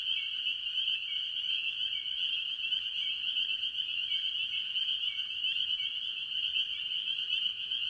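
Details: Spring peepers and other tree frogs chorusing early in the year at a farm pond. An intense, continuous high-pitched peeping holds steady throughout. Repeated brief lower slurred calls punctuate it, with little else audible.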